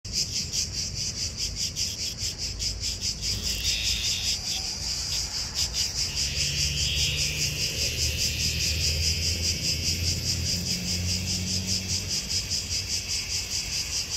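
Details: Cicada in Athens, Greece, on 11 August 2023, giving a loud, high buzzing drone pulsed in rapid regular beats, about two or three per second, steady throughout with a low rumble beneath.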